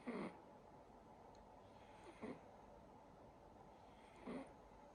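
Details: A sleeping silver Siberian Forest kitten named Sacha snores gently, giving three short breathy snorts roughly two seconds apart against a quiet room hiss.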